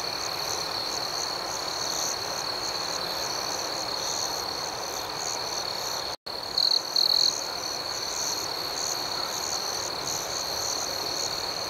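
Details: Night crickets keep up a continuous shrill, buzzy chorus, broken by a brief abrupt gap, then two short louder trills stand out before the even drone resumes.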